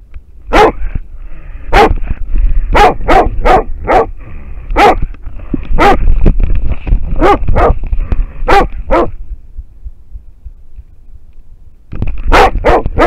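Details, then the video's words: Wild boar held at bay by a barking American Foxhound, trail camera footage: rapid, uneven barking for about nine seconds, a quiet stretch of roughly three seconds, then barking resumes briskly. "amerikankettukoira haukkuu villisikaa / American foxhound barking at a wild boar"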